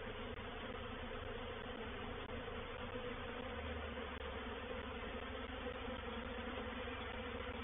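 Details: A steady roar of many wingbeats from a reproductive honey bee swarm moving into a swarm trap at Painted Peacock Manor, 04/07/21. The thick, even hum has a deeper rumble that swells midway.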